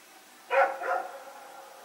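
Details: A dog barking at night while running around with a companion, recorded Sep 21, 2018: a single sharp bark followed closely by a softer second bark, then quiet hiss.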